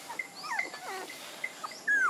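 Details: Puppies squeal in thin, high, whistled whimpers, several short rising and falling notes, then a longer note that slides downward at the end; no other clear sounds.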